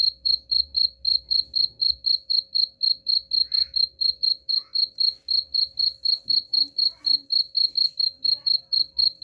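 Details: Cricket sound meant to scare off rats: an unbroken string of sharp, high chirps, about four each second, evenly spaced for the whole stretch, with a soft low hum in the background.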